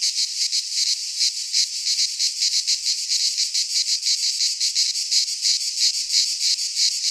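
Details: Midsummer cicada chorus from a pine forest in Greece, an unbroken high shrill buzz throbbing in quick regular pulses, nearly three per second, and nothing else audible.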